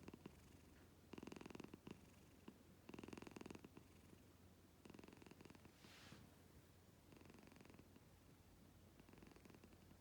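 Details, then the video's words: House cat's purr, loud enough to be compared with a snoring husband; repeated buzzy rumbling bursts roughly every two seconds, fading weaker toward the end, with a brief soft hiss near the middle. "Так даже муж не храпит…"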